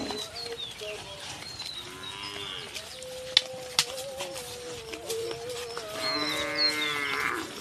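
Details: Two Qurbani cattle being brought home mooing: a long, steady droning moo held about two and a half seconds, with shorter wavering calls before and after, plus clattering knocks and faint high squeaks behind.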